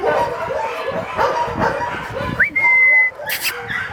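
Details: Three excited Rottweilers, a father and his offspring, yelp and whimper and give a long, high, steady whine while greeting a volunteer and playing wildly.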